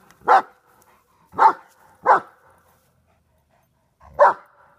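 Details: Heavy German Shepherd, 125 lb, of Czechoslovakian lines, facing a groundhog. Four single, forceful barks, the first three about a second apart, then a longer gap before the last, with quiet between.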